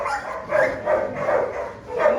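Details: Several shelter dogs kept three to a kennel at an animal shelter in Montpellier, France, eager to go out, give repeated loud, tonal barks and howl-like cries, pulsing about every half second.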